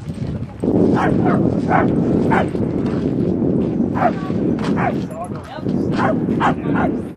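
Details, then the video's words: Dogs Rosy and Rocky playing at Seal Point Dog Park on the western side of San Francisco Bay, 13 June 2015; several short sharp barks in bursts over a steady roar of wind and background noise. "DOG PLAY"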